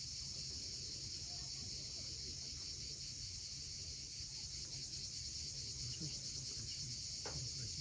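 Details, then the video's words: At sunset on the cliffs of Cape Fiolent in Crimea, cicadas produce a constant high hiss-like buzz while waves murmur low below and a brief thin rising note appears near the end. "Cicadas at sunset."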